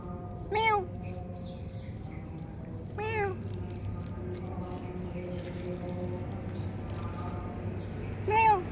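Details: Cat meowing three times, each meow a short, clear, arched cry that rises then falls, spaced about two and a half then five seconds apart, over a steady low hum with faint background sounds.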